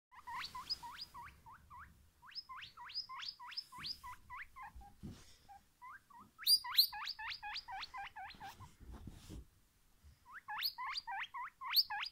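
A guinea pig gives runs of high, piercing squeaks, each one sliding up and then down.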